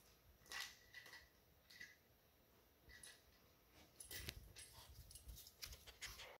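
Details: Two female Weimaraner puppies, 8 and 9 weeks old, give short, high yips and whines between bursts of scuffling while playing keep-away with a rattle toy.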